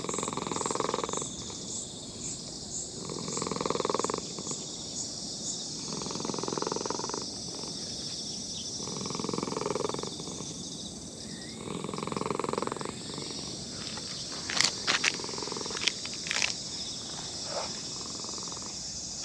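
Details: Elderly brown-and-white cat in a park purring while being petted. Steady cycles of buzzing purr repeat every couple of seconds, then a few sharp rustles or clicks near the end. Insects whine constantly in the background.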